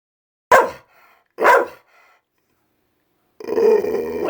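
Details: Senior female Pit Bull indoors, unhappy that it is raining out, which she associates with thunder and lightning; two sharp, loud barks a second apart, a pause, then a sustained, wavering howl-like moan.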